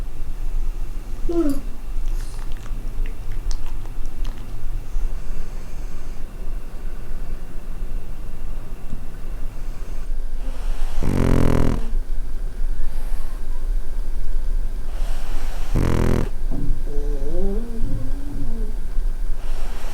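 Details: Pugs sleeping at night on a bed with a warm winter pad: two pugs, Fuku (male) and Nancy (female, former rescue), with Koma, a Chin–Shih Tzu mix. Low steady rumbling snores with two louder broadband snorts about four seconds apart, indoors.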